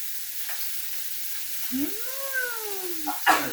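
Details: A pet striped common palm civet, farm-bred, gives a drawn-out mewing cry that rises and then slowly falls, over a steady hiss.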